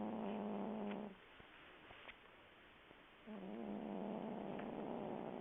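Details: Willow, a sleeping cat, gives two rasping snore breaths, a steady buzzy drone with a low hum, broken by a quiet two-second gap with faint clicks.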